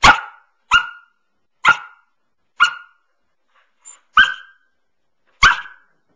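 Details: A nine-month-old Samoyed named Pearl, on her favourite couch, barks seven times, single sharp yaps spaced roughly a second apart with a brief softer sound between, in an otherwise quiet room.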